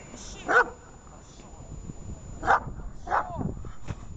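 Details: Dog in protection training gives three harsh, forceful barks spaced about one to two seconds apart, over steady background noise, a faint high tone and low human voices.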